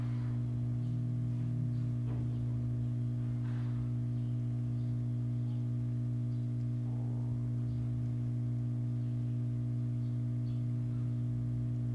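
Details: Steady electrical hum throughout, with faint soft ticks and rustles but no clear animal call.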